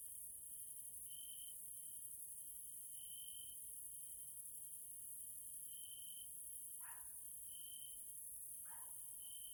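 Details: In the evening in a nature area in Hungary, Central Europe, Caelifera grasshoppers keep up a constant shrill hiss above a trill that swells and fades, interrupted by two brief, lower, falling sounds.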